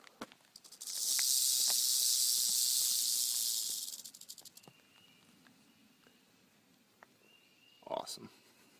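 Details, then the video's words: Timber rattlesnake lying across a road, rattling in warning after nearly being driven over; a loud hissing buzz lasts about three seconds, then fades into quiet outdoor background and a brief human voice near the end. "Timber rattle snake"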